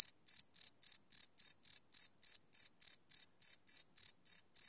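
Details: Crickets at night, live field recording on a Sony PCM D100: bright, high, ringing chirps in quick succession, about sixteen pulses in under five seconds, on a silent background.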